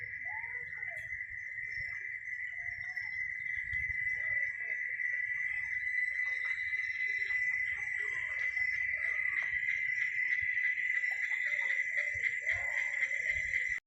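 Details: Chicharras, or cicadas, droning in one unbroken, even high-pitched buzz from start to finish, while soft twittering notes and light chirps flicker beneath it.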